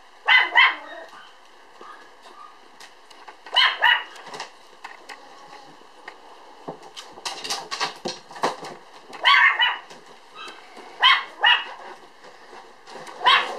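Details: Two-month-old Standard Poodle puppy weighing 3.8 kg, born 1 July and filmed 5 September, letting out bright, high barks in short clusters every few seconds, with softer scuffling sounds between the bursts.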